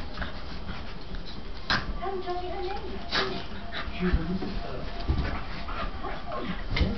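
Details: During a play fight between two Staffordshire Bull Terriers, white Dylan and black Spike, sharp yips and whimpering squeals break out every second or so over low grumbles, with human voices in the background.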